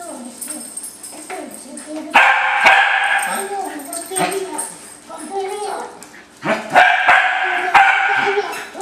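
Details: Three wire-haired dachshunds greeting their owner coming home, excitedly licking his face; two loud bursts of rapid, overlapping yips and barks, with a person talking in between.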